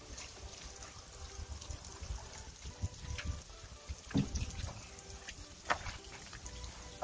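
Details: Water pouring and splashing during an indoor bath, with irregular trickles and drips and a low background hum; no animal voice.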